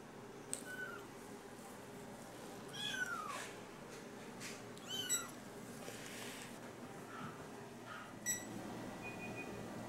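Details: Two rescued four-week-old kittens, Fuyuzuki and Suzuzuki, born 6 September 2020 and filmed 4 October at a veterinary clinic during a check-up for mild diarrhea; thin, high-pitched mews, some falling in pitch, about five scattered over ten seconds, with faint room noise.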